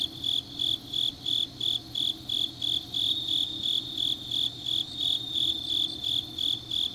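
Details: Autumn grass insects at night in Changnyeong, Gyeongnam, Korea, giving shrill, even pulses of high trilling chirps roughly three per second, several insects overlapping into a continuous chorus over a soft low background hum.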